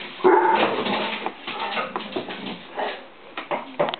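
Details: Bracco Italiano dogs at a kennel during play, with a person watching and talking: sharp yelps and whimpers followed by a run of grumbling, irregular play noises and scattered clicks.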